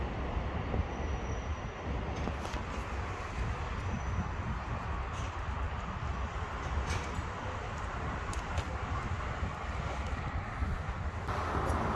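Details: Loud low vehicle rumble like passing traffic or a train fills the recording, with occasional clicks and no animal sounds.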